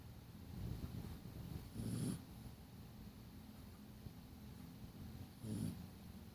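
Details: Snoring from a sleeping dog: two clear deep, raspy inhalations about three and a half seconds apart, with softer rumbling breath in between.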